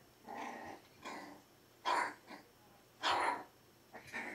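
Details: Pyrenean Shepherd puppies (Berger des Pyrénées à face rase), four weeks old, in a litter: rough, harsh growling bursts about a second long, several in quick succession with short gaps, one breathy low grumble between them.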